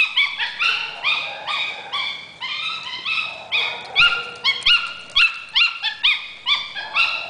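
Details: A female Maltese chasing a Boston terrier around a yard gives rapid, high, monkey-like yipping yodels that rise and fall, about two each second.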